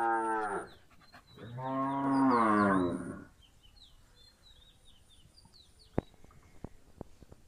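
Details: Punganur cattle on a farm where a Punganur calf drinks milk; a short low moo, then a longer, deeper, rising-and-falling harmonic moo, followed by faint chirping of small birds and a few sharp clicks.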